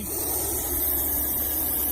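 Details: A snake in full attack position gives a steady, breathy hiss like a pressure-cooker whistle, held unbroken for two seconds; people are often alerted by this sound.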